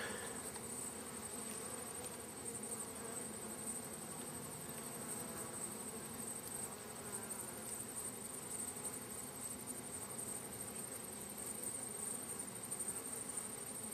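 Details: Bees of a wild hive in a crack, sealed at both ends with wood plates, give a continuous massed drone with shifting low tones for the whole stretch, under a faint constant high-pitched whine.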